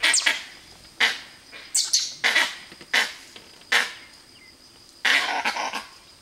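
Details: A monkey in Bandipur forest gives harsh, bark-like calls in short bursts, repeated roughly once a second.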